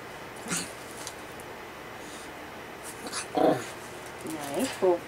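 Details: Miniature Pinscher named Foxy meeting Bella the rabbit indoors: short high whines, rising and wavering, in two bursts late in the clip, after a quiet stretch, with soft human voices in the room.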